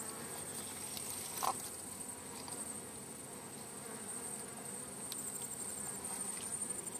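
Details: Wild bee hive during collection: continuous mass buzzing of bees, an even drone with one brief knock partway through and a thin steady high tone overhead.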